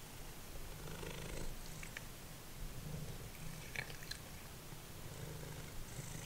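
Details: Domestic cat Simba, once feral, purring over a meal of dried minnows indoors; a deep, even rumbling purr in rhythmic breaths, with faint crunches of chewing now and then.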